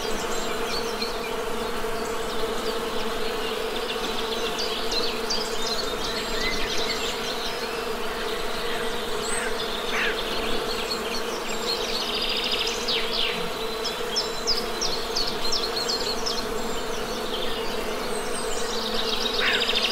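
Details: A continuous, even drone of honey bees holds for twenty seconds, joined by scattered high bird chirps and short whistled notes in the background.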